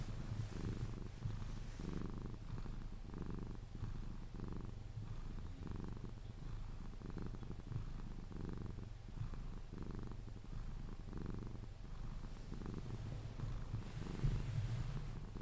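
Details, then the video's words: Pet Sphynx Pepe, cuddled until he falls asleep, purrs in regular low bursts roughly every second, rising and falling with inhale and exhale, faint brushing sounds throughout. "CUDDLING MY SPHYNX | 10 MIN CAT PURRING CUDDLES E KISSES SOUNDS"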